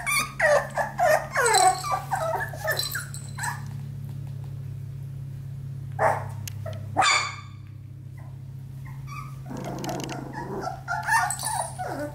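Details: Australian Labradoodle puppies, four weeks old, playing together: a rapid burst of high yelps and squeals early on, scattered yips later and a quieter stretch, with a constant low electrical hum beneath.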